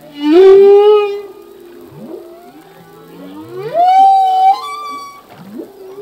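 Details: Male humpback whale singing in the ocean: a loud rising moan sweeping upward, then softer gliding tones and a second swelling upsweep near four seconds, rich in harmonics, with quiet faint whistles between phrases.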